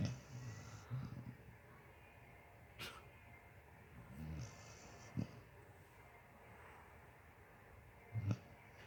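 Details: Basset Hound asleep, giving low rumbling snores with several short sharp snorts spaced a few seconds apart over a quiet background.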